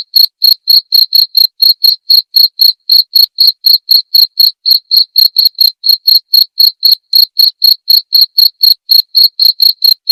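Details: Continuous cricket chirping, used as clear tutor audio for white-rumped shamas, runs throughout in regular, piercing high pulses near four per second, each short and bright against a silent background.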